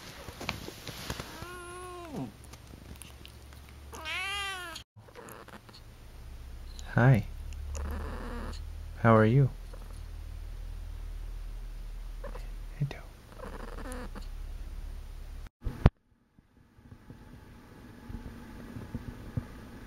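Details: Akari, a pet cat, during her first two months with a new family, gives two drawn-out, rising-then-falling meows in the opening seconds, followed by quieter household sounds and brief sharp noises.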